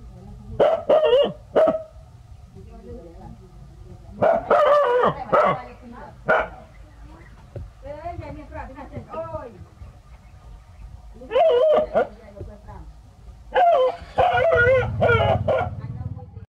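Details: Two village dogs, Pao and Rank, barking hard at a snake the family encountered: repeated bursts of rapid, harsh barks in clusters every few seconds, with calmer murmuring and a human voice between the volleys.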